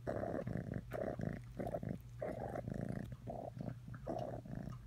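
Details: Atreyu the cat purrs loudly and close up, a rich buzzing rumble rising and falling in regular breath cycles of about half a second to a second, separated by brief gaps.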